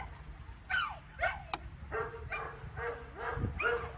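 A puppy gives short, high, wavering howls that slide downward, repeated about twice a second.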